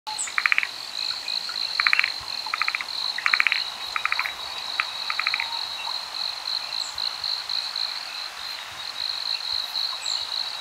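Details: Forest green tree frog on Amami Oshima, Japan, calling in short bursts of rapid clicking pulses, several bursts in the first five seconds, over a steady high insect whine and faint background hiss.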